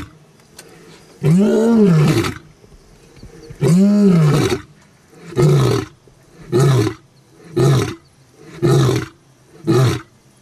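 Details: Lion at Olare Orok giving a roaring bout: two long, deep, moaning roars that rise and fall, followed by five shorter grunting roars spaced about a second apart and fading toward the end.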